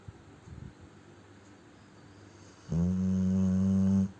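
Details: Sleeping Cane Corso named Ponchik snoring heartily indoors: soft rough breaths at first, then one loud, steady, droning snore lasting over a second, low-pitched with rich stacked overtones, ending abruptly.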